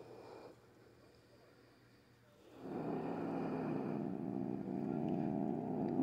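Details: Frightened female house cat before a nail trim, grumpy and growling at length though usually calm; after a quiet start a low, throaty, steadily pulsing rumble rises and continues, a brief voice earlier, small indoor room.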